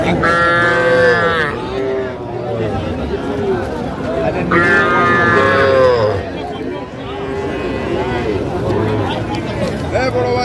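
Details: Small bull calves offered for sale at a busy cattle market in Comilla, Bangladesh, 14 February 2025: two strong drawn-out calf moos about four seconds apart, with a third shorter one near the end, over a dense murmur of buyers talking.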